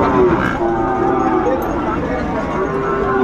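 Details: Sahiwal bull calves at a cattle market in Chattogram, Bangladesh, on 24 October: a steady, drawn-out low moo holds through the whole moment, half buried under bargaining voices and market chatter.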